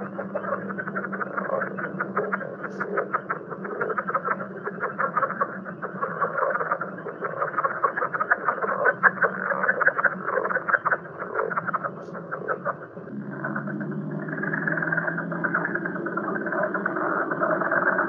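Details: A big chorus of North Carolina leopard frogs, full of rapid chuckling croaks, burp-like calls and squeaky, balloon-rubbing grunts.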